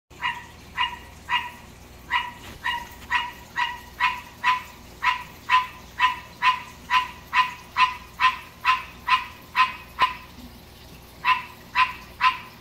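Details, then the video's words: Captive male green tree frog calling in the middle of the night: a long series of short, harsh, barking croaks, about two per second, with a brief pause near the end before the calling resumes. "Green Tree Frog Song"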